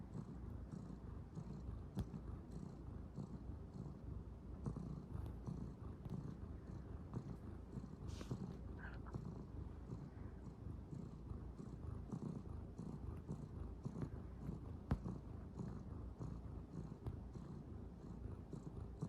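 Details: Purring calico kitten that keeps kneading on a futon, a low throaty rumble sustained without break, rhythmic pulses of breathing in and out, faint scratchy fabric sounds.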